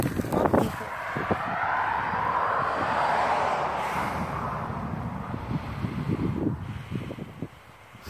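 A vehicle passes with a broad rushing road noise and a few low knocks, and no animal voice can be picked out.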